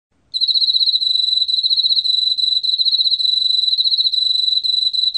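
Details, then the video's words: Emma field cricket singing a continuous, even, high-pitched trill of rapid pulsed chirps that starts after a brief silence and runs steadily to the end, with a faint overtone above. The background is quiet apart from a soft low rumble. "왕귀뚜라미, 여러번 듣기, 곤충소리"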